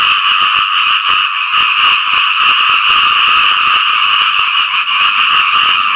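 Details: After rainfall, a crowd of frogs calls to attract mates: thick continuous trilling croaks layered into a steady droning chorus, broken by quick crackling pulses throughout.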